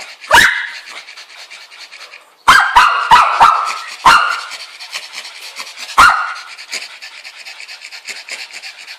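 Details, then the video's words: A Bichon Frise barks at the Angry Birds 2 game with sharp, high-pitched barks: one, then a quick burst of four, then a few more spaced out, over a faint steady hiss. "Cute Dogs like toys barking at birds"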